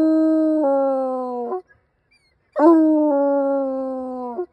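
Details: Hound dog howling: two long sustained tonal howls, each holding a steady pitch then stepping down slightly before breaking off, separated by a short silence.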